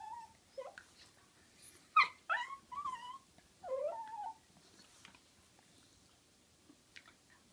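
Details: Playful wrestling between dogs Butterball and Looey, with Butterball making a funny noise: quick bursts of squeaky, wavering whines and yelps clustered in the first half, then quieter scuffling.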